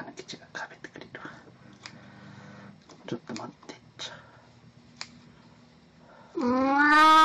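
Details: Soft whispering and small clicks fill a quiet room before Plan, a cat in Snow White costume filmed April 1, 2017, starts a loud, clear meow at the very end.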